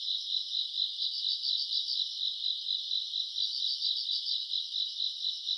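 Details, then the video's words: A chorus of grass insects, recorded on a summer night in August, keeps up a bright, high trill that throbs in regular waves a little over twice a second. "풀벌레 소리 가득한 밤"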